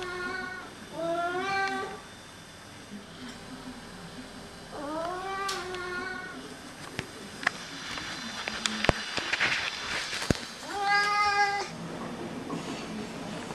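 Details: One of two male Oriental cats "talks" with long, drawn-out meows whose pitch rises, falls and wavers.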